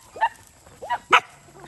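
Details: Stray dogs fighting over rice near a road on a farm in Cambodia; three quick rising yelps, the last one loudest and harshest, over a faint background hum.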